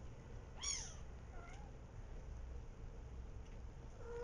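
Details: Three-week-old kittens fighting: a single short squeaky mew rises and falls with bright overtones, followed by a few faint, thin mews, all over a steady low background hum in a quiet setting.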